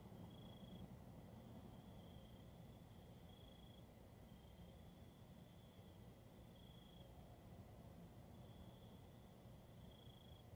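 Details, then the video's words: Night-time crickets giving sharp high-pitched trills, short pulses alternating with slightly longer runs at uneven intervals, set against steady low-frequency rumble. "Nighttime Sounds: Soothing Crickets"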